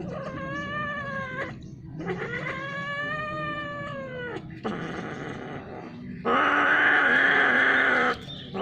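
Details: Mating domestic cats, pairing many times over a long spell, utter two long wavering yowls, then a rougher noisy wail and a sudden loud harsh scream lasting nearly two seconds.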